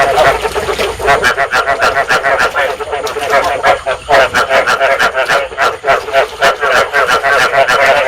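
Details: Rice field frogs calling to stimulate breeding, a sound used in Vietnam for trapping frogs: a busy chorus of rapid, honking, harmonic croaks, roughly three per second, steady from start to end.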